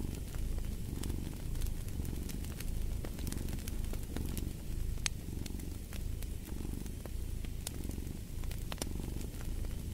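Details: Cat purring beside a crackling fire, the deep rumble rising and falling in even cycles roughly every second and a half, with bright fire pops and snaps dotted over the whole stretch.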